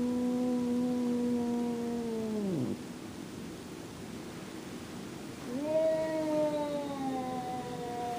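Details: Jack, a house cat, objects to Boots being in his favorite room with two long, moaning yowls. The first holds steady, then drops sharply at its end. After a quiet gap, a second yowl starts high and slowly slides lower.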